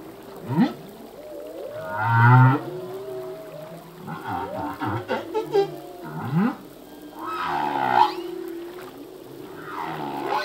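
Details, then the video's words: Male humpback whale singing underwater, part of a full-length song; sweeping moans, low grunts and swooping upward whoops with buzzy bursts around two and eight seconds, units overlapping with echoing reverberation. "Whale song - full length humpback whale song"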